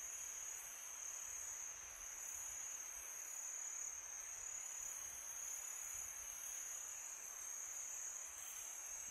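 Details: Night-time crickets in summer, calling in a constant thin, piercing trill that never pauses, set against a soft broadband rush of wind.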